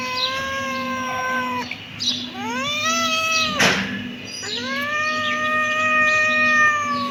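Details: Kitten meowing: three long, clear, harmonic-rich meows, the first steady and level, the second rising then sustained, the last rising and held; a brief noisy burst between calls and a steady low hum underneath.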